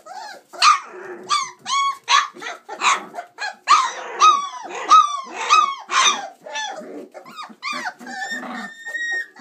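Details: Six chocolate Labrador Retriever puppies, 26 days old, playing indoors after climbing out of their whelping box; rapid series of sharp, high squealing yelps and little barks, ending in a thin drawn-out whine.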